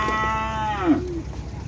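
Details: Cattle training for kerapan sapi bull racing toward the President's Cup, in a new formation: one loud moo with rich harmonics, steady at first, then sliding downward and ending around one second, over a low background rumble.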